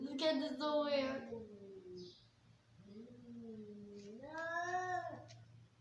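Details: Angry domestic cats fighting: a short harsh burst, then low drawn-out growling yowls that dip and rise again into a louder wail, heard at moderate distance.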